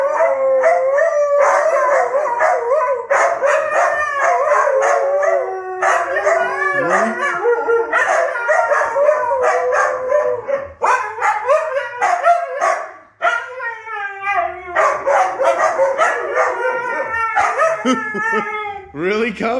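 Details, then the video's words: Siberian huskies kept as family pets howl as a group. The long, bending howls from several dogs overlap, pause briefly, then resume. Near the end, shorter falling and rising yelping howls appear. "HUSKY SING SONG"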